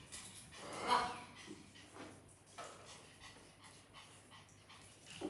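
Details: Dog Lucia, kept indoors in a house shared with many pets, eager for the puppies' and kittens' food; one faint, breathy whine near the start, then quiet rustling and soft room noise.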